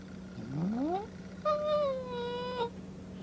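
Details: Pet cat meeting a new calico kitten, kept on trial adoption, in the cat's own former cage and reacting with threat: a rising drawn-out yowl, then a sustained wavering tone, over a steady low hum.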